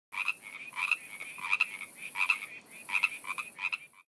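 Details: Baja California tree frog. A chorus of Baja California tree frogs, several voices giving harsh, ratcheting two-note croaks. The calls overlap and repeat about every second or so, forming a steady, rhythmic din.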